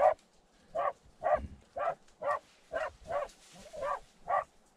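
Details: Terrier barking inside a badger tunnel, a steady run of about nine short, punchy barks spaced roughly half a second apart, with a low thud under one early bark.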